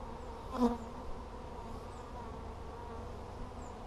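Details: Honey bees buzzing during a hive check on 17 July 2020: a steady, droning hum with layered low tones, briefly swelling louder near the start as a bee passes close, then holding an even level against faint outdoor background.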